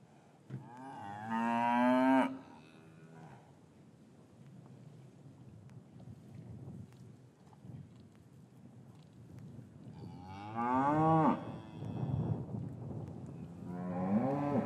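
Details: Cows lowing in an English cattle yard on a winter afternoon after the calves were separated from their mothers, recorded with a matched pair of Rode M5s: three long, deep, harmonic moos, one near the start, one around ten seconds, one at the end.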